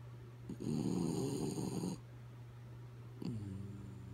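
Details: Sleepy dog named Kaya Boo asleep and snoring: one loud, gravelly snore of about a second and a half, quiet exhale, then the next snore starting, all over a constant low electrical hum.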